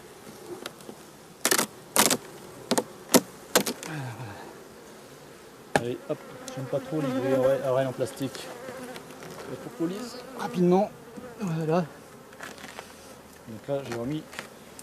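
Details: Bees of a drone-laying hive shaken from their frames some fifty metres from the apiary. Sharp knocks open the recording, then bees fly past close by with humming, wavering buzzes that rise and fall in pitch.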